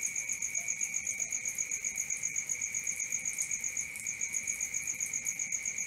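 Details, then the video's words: Night crickets trilling without pause, two high bright tones held level and pulsing in quick regular beats, a faint low rumble beneath. "Cricket 1 hour for Sleeping & Relaxation"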